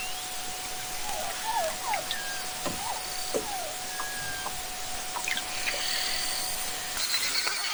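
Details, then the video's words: Melodic beluga song recorded underwater: short looping whistles and chirps, some rising then falling, a few sharp clicks and brief flat tones, over a constant low hum and broadband hiss. "Arriba l'hora d'escoltar el cant de la beluga, coneguda per la seva harmonia, la seva melodia i el seu color blanc distintiu."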